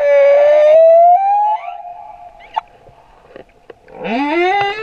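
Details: Humpback whale song from a male at Moorea, a long sustained tonal moan slowly rising in pitch, fading to a thin steady tone, then a rich harmonic upswept cry returning loudly at the close.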